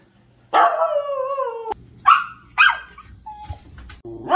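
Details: Pomsky puppy vocalizing indoors: a long drawn-out harmonic yowl sliding slowly down, then two short sharp barks, a thin high whine and a brief low note before another bark starts.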